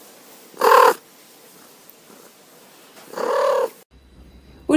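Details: A domestic cat gives short, rolled chirruping trills, a mostly positive greeting to people or other cats made with the mouth nearly closed, usually when excited and wanting attention.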